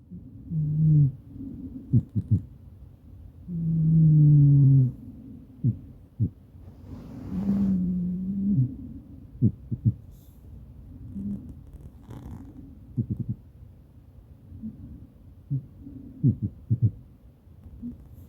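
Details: Maine Coon cat named Madoka snoring while asleep beside its owner, caught on a smartphone: low, droning, harmonic breaths with slight downward slides, a few long swells among shorter clicky puffs.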